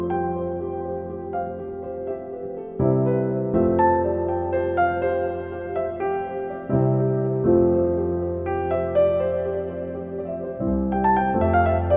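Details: Gentle electric piano music playing slow sustained chords throughout, with no animal sounds.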